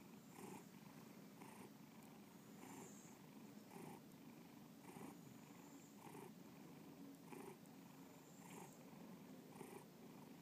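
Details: Domestic cat Bubba gives a soft, even purr indoors; deep vibrating hum swells in regular pulses a little over a second apart, with faint high hiss in the background.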